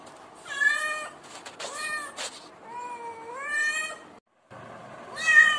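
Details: Domestic cat and kitten voices, the kitten crying when it feels insecure. Loud harmonic meows, one long and gently rising, another short and sharp, separated by a brief silent gap.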